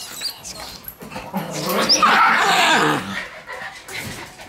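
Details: Shiba Inu puppies swarming close to the camera, older November–December-born pups among the litter; one pup gives a sustained harmonic growling whine lasting over a second, with scattered squeaks and handling noise around it.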